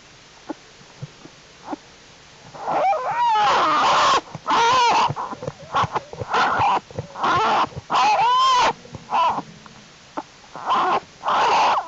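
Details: American black bear cubs in the winter den of Jewel the black bear on January 31, 2012, during unusually warm weather while they crawl around. Loud harmonic squalls and bawls, some with wavering pitch, in bursts roughly every second, separated by quiet rustling.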